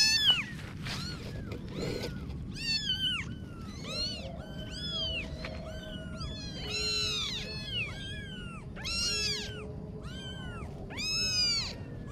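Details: A litter of kittens calls in quick high meows, each cry arching up and down, several voices overlapping, plus a few soft knocks and a low steady hum.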